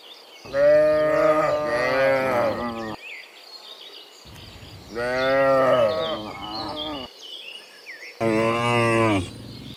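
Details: Cattle heading home from the fields to their pen in the afternoon; three loud, rich moos with wavering pitch, several callers overlapping, separated by short pauses, and birds chirping faintly in the background.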